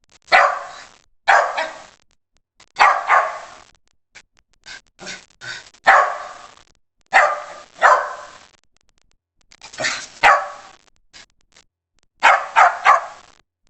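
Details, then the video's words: West Highland White Terrier barking in sharp, bright bursts, often doubled, with about eight bark groups spread over roughly fourteen seconds and brief quiet gaps between them; no other sounds stand out. "OUÇA O SOM DO CACHORRO TERRIER BRANCO DE MONTANHAS OCIDENTAIS 🐕 WEST HIGHLAND WHITE TERRIER"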